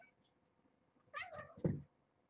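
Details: Indoor meow from Nala Se, a young mother cat at Purrfect Pals urging her kittens awake; one drawn-out meow slides downward into a low, rough ending, lasting under a second.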